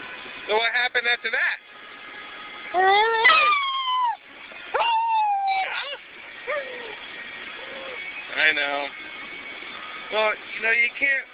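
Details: Dog named Ares 'talking' in a car while heading to work: clusters of quick yips alternate with sliding, wobbling whines that swoop up then down, repeated in short bursts over a constant vehicle drone.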